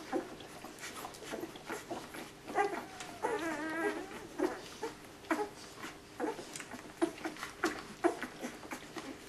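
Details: Nine puppies, all hunting for milk at feeding time, fill a small indoor space with soft noise; one wavering, whiny whimper rises and trembles for about a second midway, surrounded by repeated little clicks and shuffling patter.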